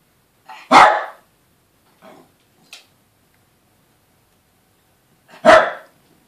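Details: Yorkshire Terrier pair, male and female, the female always bullying the male: a loud sharp bark, a few faint yips, then another loud bark nearly five seconds later.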